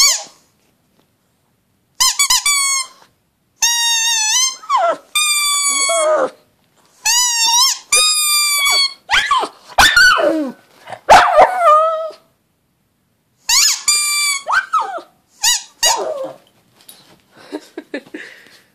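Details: Howling pug in a small room, giving a run of short squeaky, wavering howls with rich harmonics, broken by brief pauses and a few sharp yips, trailing off into softer squeaks at the end.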